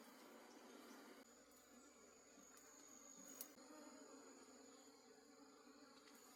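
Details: Forest wild honey bee colony at harvest time, a quieter continuous low hum beneath a steady high-pitched whine, with a few brief clicks and taps.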